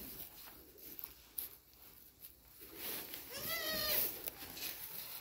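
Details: On a goat farm, a goat gives a single wavering, nasal bleat against a steady background hiss.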